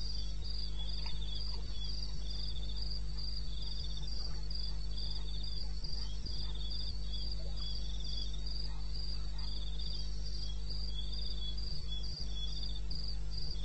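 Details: Crickets sing through the night in the wilderness of eastern Botswana, 21 May 2016, 2:30 AM: dense shrill chirps pulse nonstop while a second, lower buzzing trill weaves in and out, and a steady rumbling hum fills the background.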